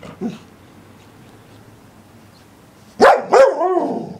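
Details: Barking English Springer Spaniel: a faint bark at the start, a long quiet gap, then two loud sharp barks trailing into a short whining yelp.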